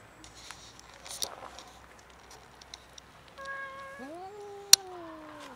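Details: Huge fluffy female stray cat, friendly and hungry, living on the street on a cold winter day, gives one long drawn-out meow that rises briefly then slowly falls, after faint scraping and a sharp click.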